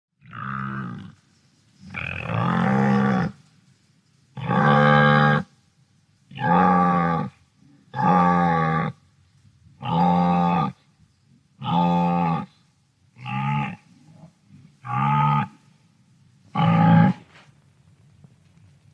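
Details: Wildebeest of the African savanna giving a series of low, nasal moaning grunts, each lasting about a second with rich harmonic tone, repeated roughly every one to two seconds with quiet gaps between.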